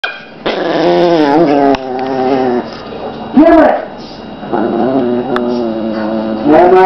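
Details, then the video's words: A Chihuahua growling steadily, a harmonic rumbling snarl held for long stretches with brief breaks and a sharper yelping burst near the middle; no other clear sounds. "Evil Chihuahua Growling"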